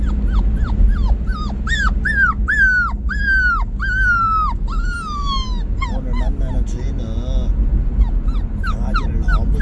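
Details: Puppy named Bandalgom on the day it goes to a new owner, whimpering: high whiny cries, each sliding down, repeated about twice a second, longer drawn-out wails midway, then shorter broken whines with steady low background rumble.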